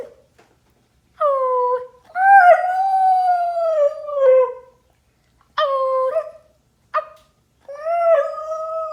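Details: A Siberian Husky gives drawn-out, wavering howls and yowls in several short bouts, reacting to its owner making animal sounds.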